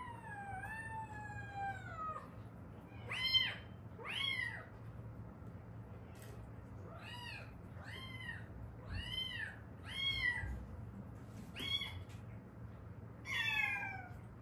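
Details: Mother-and-daughter stray cats rescued in Haeundae, one long descending meow opens, followed by a rapid run of short, clipped meows in steady succession, with faint thumps beneath.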